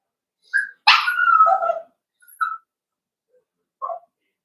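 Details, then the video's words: Cavalier King Charles Spaniel puppies at play in a home puppy pen; a sharp yelp breaking into a longer whine, then two short separated yips over a quiet room. "Puppies Playing"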